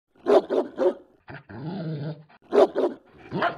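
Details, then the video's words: German Shepherd barking: three quick, harsh barks in a row, then a lower, drawn-out growling, whining stretch, followed by another sharp bark and a rising yelp at the end. "German shepherd barking"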